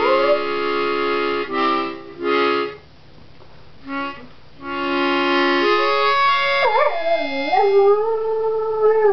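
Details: Steady reedy accordion-like chords fill the first part, then September the Singing Dog joins with a wobbling, dipping moan, pleading for the morning bone she treats as her stimulant of choice.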